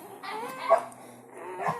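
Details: Newborn village dog puppies, one of a litter of four just born to a village mother dog, kept indoors: two short thin whines with wavering overtones, separated by a brief pause, the second rising slightly at its end.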